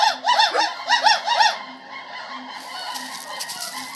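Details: Gibbons at a gibbon center sing a quick run of loud, arching whoops that rise and fall, then fade into softer calls, with the center's guard dog singing along.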